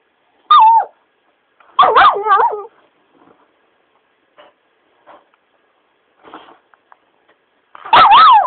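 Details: Pet Shiba Inu being pestered: a short sharp whine, then a loud wavering yelping outburst, several seconds of near silence with faint rustles, and another loud warbling yelp at the end.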